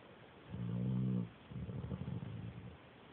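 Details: Sleeping dog snoring, its sound likened to a little pig, captured with an Android phone: one loud, buzzy, deep inhaled snore lasting under a second, then a rougher, fluttering, snuffling exhale that fades out.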